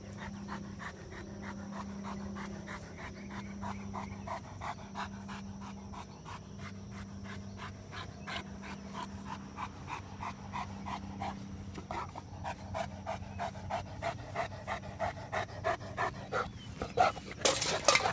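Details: Mastiff panting while playing with a trap: quick rhythmic breaths, roughly one and a half per second, growing louder and harsher toward the end, over a faint low hum that comes and goes.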